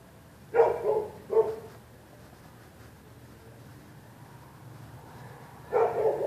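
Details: Neighbour's dogs barking throughout the night whenever anybody walks the public sidewalk: two quick barks in succession, a pause of several seconds, then a further bark at the end, with soft background noise.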